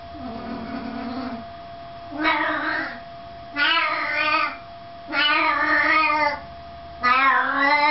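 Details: Two domestic cats, Scooter the tabby and Ash the Siamese, friends squabbling at home while grandma is away: a low growl opens, then four long drawn-out yowls rich in harmonics, wavering in pitch, each about a second long with short pauses between.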